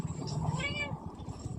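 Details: Village cat pestering a woman for milk: one drawn-out, nasal meow. Low music and a woman's voice in Telugu play underneath.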